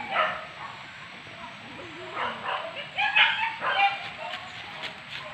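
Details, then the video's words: Hunting dogs bark while driving wild boar pests at Sicincin, Padang Pariaman; several harsh, irregular barks cluster in the middle seconds, mixed with people talking nearby and a steady background hiss. "Badendang dendang salak anjiang di buruan tarok sicincin"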